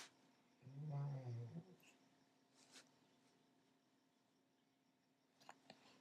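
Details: Old golden retriever Sparky snoring in his sleep indoors, a single low, rough, vibrating snore near the start, followed by quiet breathing and a few faint taps in a small room.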